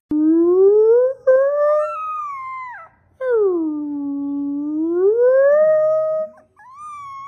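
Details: A dog gives a long tonal howl that rises, breaks off, then swoops down low and climbs again in a smooth wavering arc, with a short higher note at the end and no other sounds.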